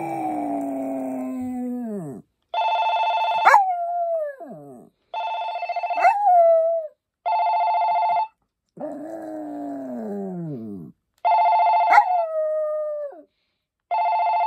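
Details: Maltese named Poppy howls in long notes that fall in pitch, trading off with bursts of flat, buzzy telephone-like ringing; shorter yelping slides appear at the tail of several rings.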